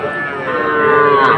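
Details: Young cattle at a market in Manikganj, Bangladesh, on 30 November, where small bulls and heifer calves are sold. A single sustained, rich harmonic moo holds steady and strengthens slightly toward the end, with faint background murmur.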